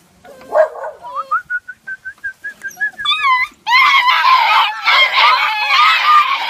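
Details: American Foxhound puppies, 47 days old, in Igrejinha, Rio Grande do Sul, Brazil, making noise: a run of high, rapidly repeated whining notes, then a loud, overlapping chorus of yelps and wavering howls from several pups.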